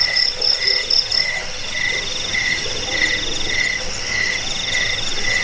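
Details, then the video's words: Cricket chirps, the jangkik sound used against rats, as a lullaby and for training birds; a lower shrill chirp repeats roughly every half second over fainter, faster high trills. "Suara jangkik pengusir tikus pengantar tidur"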